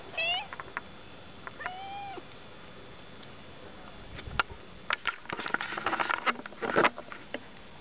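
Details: Outdoors on a hillside behind a house, the pet cat Friday, a female who came down after hearing the car, lets out two clear, bending meows in quick succession, followed by rustling, clicks and handling noise as she is briefly petted.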